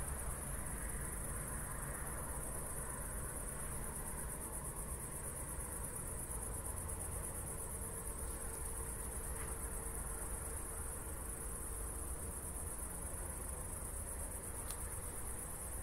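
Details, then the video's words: Night chorus of crickets following a recent thunderstorm in Zwettl, Austria: a constant high-pitched pulsing trill holds for the whole stretch, with low rumble underneath and a faint steady hum rising midway. "ASMR Cricket Sounds"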